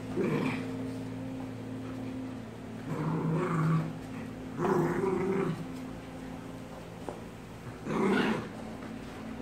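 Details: American bulldog fighting a German Shepherd and a Maltese: rough, throaty growling bursts roughly every three to four seconds, separated by quieter gaps, over a steady low electrical-sounding hum.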